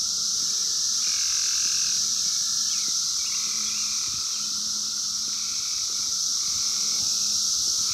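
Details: Brood X periodical cicadas of the 17-year cycle, 2021, in the wild, captured by phone: steady shrill massed drone, overlaid by lower buzzing phrases that come and go every second or two.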